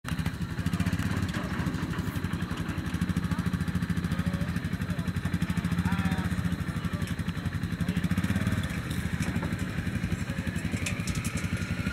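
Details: A vehicle engine idles with a rapid, even throb, while people talk outdoors in the background.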